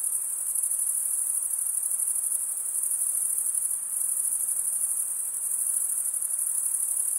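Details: Crickets keep up a sharp, high-pitched pulsing trill, steady in volume from start to finish, with a soft hiss underneath.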